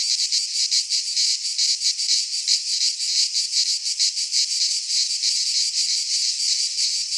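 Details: Cicadas singing in midsummer in a Greek pine forest: a dense, continuous buzzing chorus, high and shimmering, pulsing in quick throbs with no other sounds heard.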